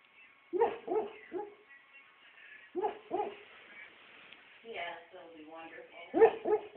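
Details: A puppy dreaming gives soft, muffled woofs in small clusters of two or three, with a quiet whimpering stretch in the middle, in an otherwise quiet room.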